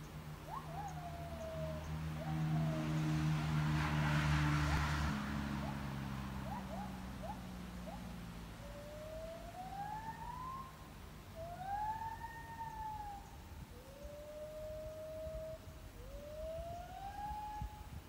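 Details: On 18 January 2021, a gibbon on the hill behind a house gives a series of clear, swooping whoops that rise and arch over a low engine-like rumble.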